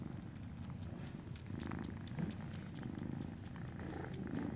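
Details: Purring Norwegian Forest Cat kitten from Fantarja Cattery, 19 January 2017: a deep, even rumble swelling and easing with each breath, light rustles and taps scattered above.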